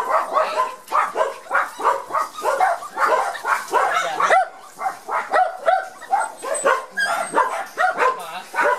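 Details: Shy Border Collie puppies from the Gem & Sky litter on their first trip into the garden after their first vaccination, giving a rapid, almost continuous run of short whining yelps, about three per second, with brief pauses.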